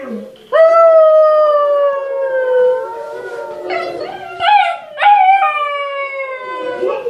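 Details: Siberian Huskies howling: a long, loud, clear howl held steady then slowly sliding down, followed by shorter wavering howls and yips that rise and break, with several voices overlapping near the end.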